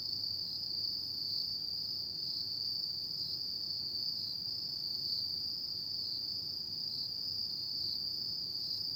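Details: High, even, ringing song of autumn insects at night, running nonstop at one pitch with a faint fainter tone higher up; no birds or people heard.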